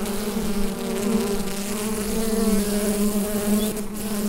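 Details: Bees inside their hive, captured with a Rode NT-USB microphone: a steady, dense low buzzing drone with a strong hum and layered overtones, unbroken throughout and with no other sounds.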